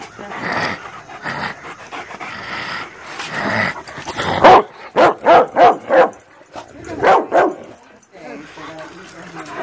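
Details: Pet dogs, a greyhound with Rottweilers and a German Shepherd, attacking a screen: a run of about six loud, evenly spaced barks in the middle, with softer whimpering and voices before and after, plus background music.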